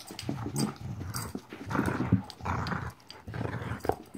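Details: A 14-week-old puppy playing indoors, giving rough, low growls in short bursts roughly every half second to a second, with brief louder snarly peaks near the middle and the end.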